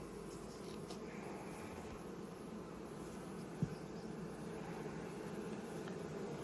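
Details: Honey bees crowding the frames during a spring hive inspection and colony expansion; steady low droning of many bees, with one brief click partway through.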